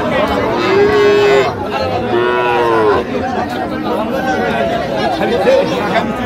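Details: Bull calf at a crowded cattle market in Cumilla, Bangladesh, giving two short, bleating moos in quick succession, then a fainter call, over constant chatter of people bargaining.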